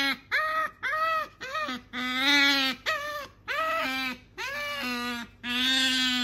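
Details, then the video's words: Pet otter Sakura, female, keeps demanding what her owner has in hand, voicing insistent nasal whines. Rich, buzzy cries of roughly half a second to a second repeat in rapid series, some dipping at the end, inside a quiet room. "いらないって言ったのに飼い主が持ってると何度でも欲しがるカワウソ Otter want it as often as their owners have it."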